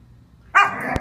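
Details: An 11-month-old Siberian Husky puppy, during a brief burst of wild, crazy behaviour, gives a sudden, brief, tonal yelp after a moment of quiet.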